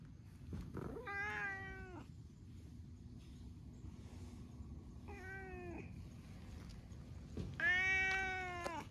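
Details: Free-roaming cats sunbathing together outdoors in Japan, one an orange tabby; three harmonic meows, the first and last long and falling slightly, a shorter one between, over a low steady rumble of background noise.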